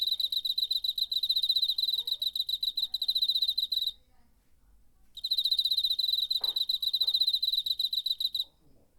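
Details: Cricket singing in September 2019 from its wings, taken with a DR-05 recorder: rapid bright trilled pulses for about four seconds, a one-second silence, then another run of quick chirps, with a faint soft knock.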